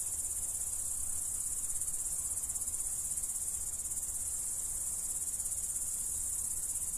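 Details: Crickets recorded in the Dominican Republic giving a sustained, piercing high trill with a fine rapid pulsing, backed by a soft low background hum.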